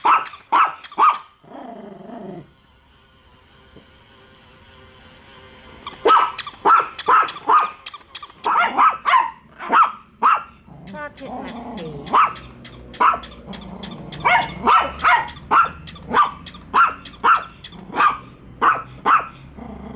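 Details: Bico and Faith, a pair of pet dogs, keep barking at a toy dog on first meeting; opening barks, a lull with a faint steady tone, then a long run of quick sharp barks.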